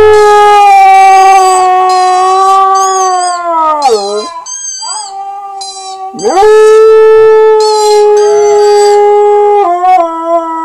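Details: Husky. A husky gives long, sustained howls on a steady, rich tone. One note sags and breaks off, and after a short pause a new howl slides up and holds again.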